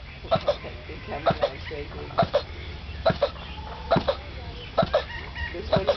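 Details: Male turtle mating in a zoo on Mauritius, heard across the zoo for over twenty minutes: rhythmic paired grunting groans repeated about every second, with people speaking Danish in the background.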